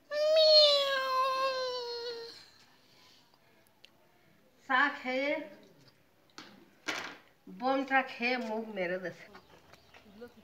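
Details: Domestic cat giving one long, drawn-out meow of about two seconds, steady then slowly falling, followed after a pause by shorter wavering, voice-like sounds in a small indoor room.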